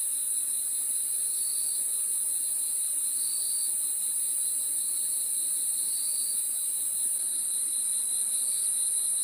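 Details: Crickets calling at night in a dense chorus: a steady, very high shrill ringing that never pauses, over a lower pulsing trill that swells briefly every two seconds or so; no other sounds stand out.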